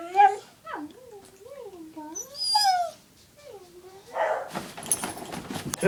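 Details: Pet dog, female, vocalizing after the owner's sister's name is called: soft, undulating whine-howls that rise and fall like a wavy siren, ending in a short louder yelp followed by rustling and handling noise indoors, a voice briefly heard.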